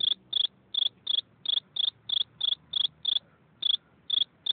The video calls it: Eine Grille beim zirpen